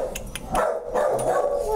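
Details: Dog alongside its puppies gives short, nasal whimpering yips that slide into a drawn-out tonal whine, slightly falling at the end, with faint background noise.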